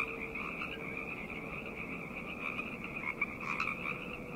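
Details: Quieter night frog chorus, a softer, more distant band of trilling croaks over a hum and background noise, with a few louder calls near the end.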